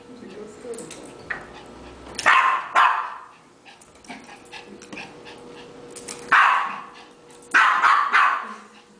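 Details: Playful Yorkshire terrier chasing a ball with family: people talk softly, then the dog breaks into pairs of loud, harsh barks, two near the start and two more later, over a constant faint hum.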